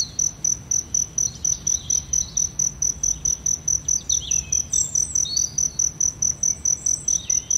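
A cricket gives steady, high chirps in a fast, even rhythm, about two or three each second.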